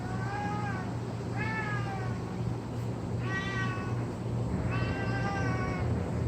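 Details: Pet cat dragging its favourite blanket, a daily habit, voicing odd calls: four drawn-out harmonic meows, the later two louder and wavering, spaced about every one and a half seconds over a constant low hum.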